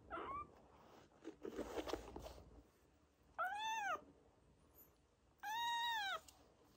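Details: Rescued kitten in a foster home giving two clear, arching meows about two seconds apart, each rising then falling in pitch, following rustling and handling noises indoors.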